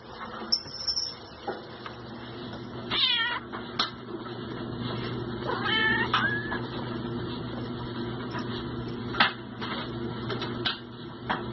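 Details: Newborn kittens, born 3 December 2016 to a Siamese mother in her first litter, give thin high-pitched mews, one near three seconds and a wavering one near six, over a steady low indoor hum and faint rustling.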